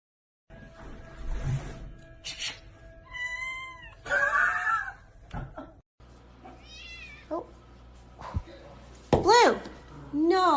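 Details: Kittens in a 2020 compilation of funny, cute kittens utter several short, bent meows and squeaks, some rising then falling, amid a person talking to them and background music.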